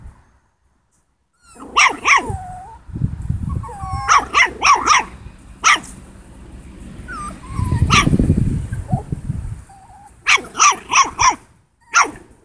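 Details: A 7-week-old Italian Greyhound puppy, facing a pig, gives sharp, high yapping barks in quick bursts, with low grunting in between.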